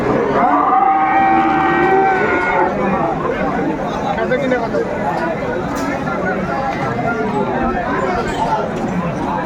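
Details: Cattle at Aftabganj market (hat) in Dinajpur, Bangladesh, on 17 April 2024, where Friesian and crossbred bull calves are sold: one drawn-out, steady moo of about two seconds near the start, under loud crowd chatter and men bargaining over prices.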